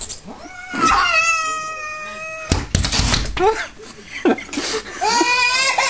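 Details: Neighbourhood bully cat trying to pick a fight with a house cat through a glass door: long, drawn-out wavering yowls that rise and fall, with a woman talking over the later part and a baby nearby.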